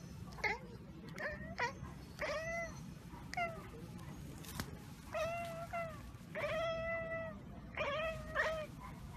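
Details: Chattering from a pet cat that has spotted a bird or insect out of reach: a rapid series of brief, clipped chirps and bleat-like notes, some rising, others wavering, coming in quick clusters over a soft background hum.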